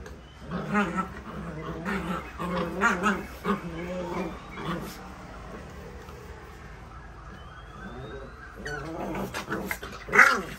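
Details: Puppies at play give short harmonic whines and yelps in bursts of about a second, clustered early and again near the end, with quieter stretches between.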